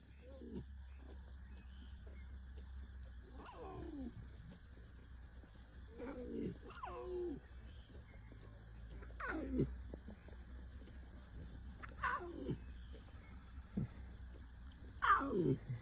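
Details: Lion cubs of the Styx pride in Sabi Sands, recorded 17 April 2025: six short, wavering, downward-sliding cries spaced two to three seconds apart, faint over a steady low hum.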